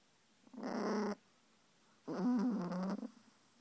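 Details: Russian Toy Terrier getting mad, giving two low rough growls, each about half a second to a second long, separated by a short pause, in a quiet room.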